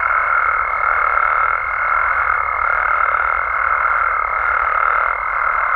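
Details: Frogs and toads in Mexico calling after dark, a thick mid-pitched trilling chorus with a steady higher pure tone running beneath throughout.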